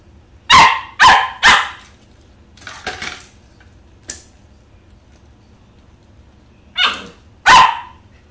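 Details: An 11-week-old Pembroke Welsh Corgi puppy at play with a cat's toy gives three quick high barks in a row, then a pause with softer huffs, then two more loud barks near the end.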